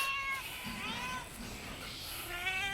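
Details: Distressed cat meowing: a short high meow opens, followed by a longer falling wail and a rising cry at the end, with a person speaking Bengali in the background.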